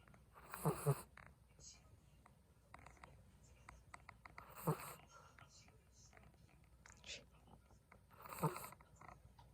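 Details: Soft snoring from a sleeping Chihuahua, three short low nasal snorts spaced about four seconds apart, over quiet indoor background noise.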